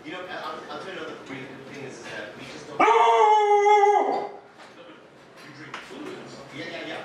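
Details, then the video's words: Huskies home alone while their owners are out on errands, including one-year-old Gertie. After a murmur of rough vocal grumbles, one dog breaks into a clear, steady howl lasting about a second and a half, then the grumbling resumes. "Huskies Home Alone"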